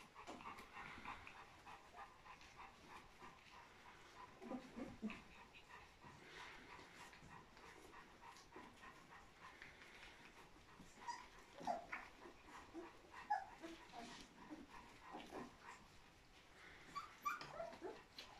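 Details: A rare litter of 14 newborn Golden Retriever puppies makes faint, high-pitched, overlapping squeaks and whimpers, with short thin cries rising above the murmur and soft panting and rustling underneath.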